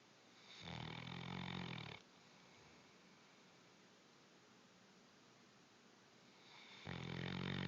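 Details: Low, grating snore from a Bloodhound, one rumbling inhalation over a second long, a quiet pause of several seconds, then the next snore beginning.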